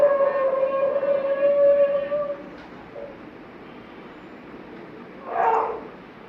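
A Mudhol Hound gives a long, steady, mid-pitched howl, followed later by a brief rougher yelp.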